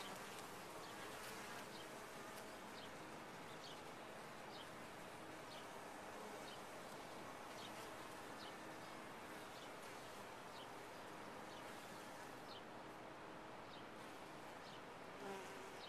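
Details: Honey bees inside a top-bar hive, a dense, steady colony hum with no breaks, thick low droning layered with higher buzzing and brief faint ticks scattered through the sixteen seconds.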